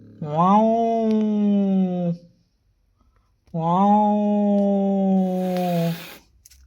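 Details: Domestic cats in heat, male and female, calling indoors: two long drawn-out wails, each about two seconds, rising sharply then holding a steady moaning tone, separated by a short silence.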